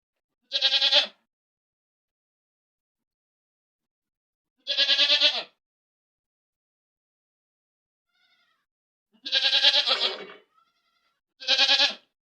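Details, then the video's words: Loud goat screams, four quavering harmonic bleats, the third longer and ending in a lower rough tail, spaced irregularly over twelve seconds with silence between. "Goat screaming loudly"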